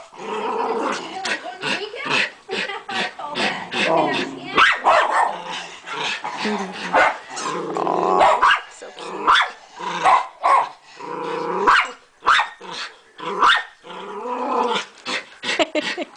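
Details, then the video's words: Lacey, a pet dog, barking frantically at a bunny in the yard while a second dog, Shakey, also vocalizes at it; rapid bursts of sharp barks with growly, whining tones between them, and a person's voice talking over them. "Lacey barks at a bunny"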